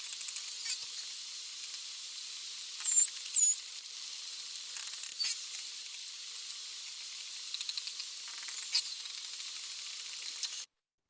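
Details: Striped dolphins (Stenella) give high, sweeping whistles, which serve social communication, over a steady crackle of impulsive clicks, which are used for navigation and echolocation.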